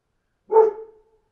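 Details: A single short, clear bark from a dog outdoors, with a brief tonal ring fading after it.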